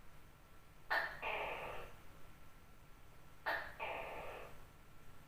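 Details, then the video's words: Big tokay gecko at night giving two loud two-note calls about two and a half seconds apart. Each opens with a short clipped bark, then a drawn-out hoarse croak, over a faint low hum. "Suara Tokek Gak Seram Banget | Sound of Funny Gecko"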